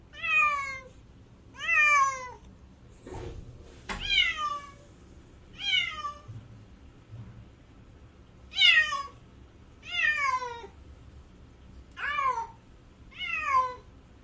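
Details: Domestic cat crying with drawn-out, wavering meows that fall in pitch, about nine calls over fourteen seconds, each around half a second long, in a quiet setting with a few faint knocks in between.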